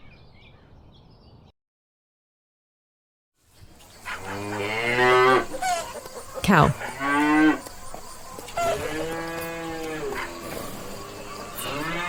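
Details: Cow mooing: after a short quiet stretch and a silent gap, a series of long, deep, drawn-out moos with rich harmonics, some rising then falling, spaced a few seconds apart over light background noise.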